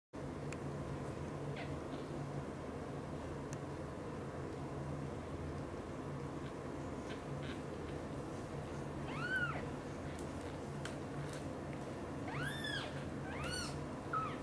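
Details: British Shorthair cats: mother cat Xaxa gently tending three kittens, Piano, Miracle and Cream. Three short, high, arching mews come late, near the end, over a steady low hum.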